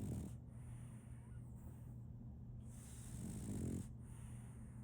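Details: Solaimy, a French Bulldog puppy, sleeps and snores: one short snort at the start, then a longer rasping, rattly snore building near the end, low-pitched and breathy above a steady hum.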